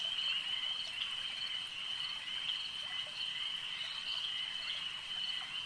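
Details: Frogs at a lake, heard as a dense, steady chorus: a continuous high trill with faint repeated clicks layered above, holding an even loudness for the whole stretch with no other clear sounds.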